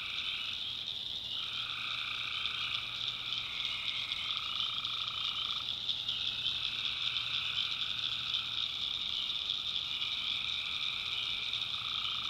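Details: Swamp at night in the backwoods of North Carolina, where massed tree frogs keep up a continuous high trill while lower voices start and stop in overlapping stretches of a few seconds.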